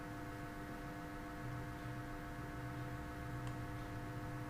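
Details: Only a steady electrical hum with faint low whirring is heard. No animal voice comes through anywhere.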